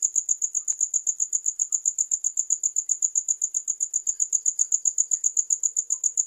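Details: Regular, piercing cricket chirps at roughly four per second fill the recording in a tight, metronome-like pattern against near silence.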